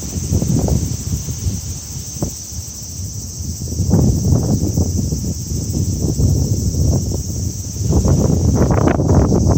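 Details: A level, ringing cicada drone at the beginning of summer, with wind rising and falling through the leaves in uneven gusts.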